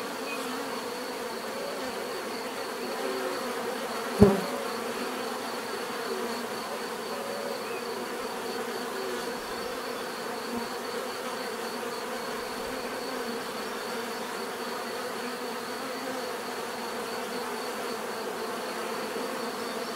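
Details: Constant humming of numerous bees, a low layered drone without pauses; one sharp tap or knock stands out early on, then the even buzzing continues unchanged to the end.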